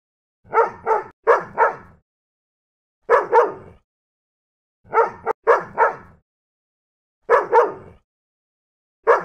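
Dogs barking in sharp bursts of two or three, repeated every couple of seconds.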